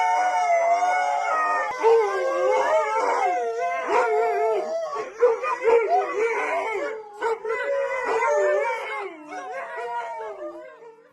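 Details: Several dogs howl loudly together in a dense, overlapping chorus of wavering, warbling tones. Pitches slide up and down constantly. Brief yips cut through the steady howling, and the volume fades near the end.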